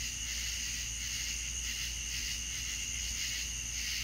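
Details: A night chorus of crickets from the south: shrill, sustained, layered trilling pulsing rhythmically, steady in loudness throughout, with a quiet low-frequency hum beneath.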